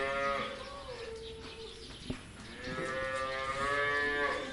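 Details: On a farm in Taiwan, a cow gives two long, drawn-out moos, each swelling and falling with a rich harmonic tone.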